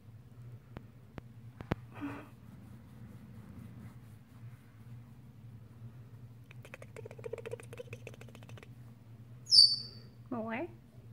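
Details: Amy, a young female Chihuahua recovered from medical rescue at a Fort Worth, Texas shelter, vocalizing for more belly rubs: a soft, rapid buzzy grumble, then a sharp high squeak and a brief falling whine in a quiet room.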